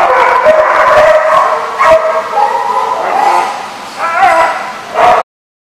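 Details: A group of dogs barks and yelps in a crowded kennel, with strained high yips and whining barks running together before stopping abruptly.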